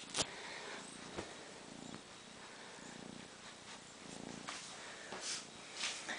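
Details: Rosie, a completely blind four-month-old rescued kitten in a home, playing with her three-month-old friends Cornflake and Woody; soft pulsing purr rising in short bursts every second or so, with faint scratching and rustling.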